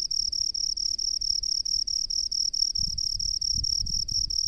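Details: Cricket of the rice paddies producing rapid, evenly spaced shrill chirps, about five a second, while soft low rumbling thuds rise in the background during the second half.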